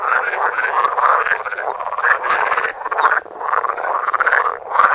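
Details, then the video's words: Close view of croaking frogs recorded with a Samsung Galaxy Note; rapid rattling croaks from many callers merge into swelling waves about every second, with a brief lull near the middle. "Frogs croaking. Coassements de grenouilles"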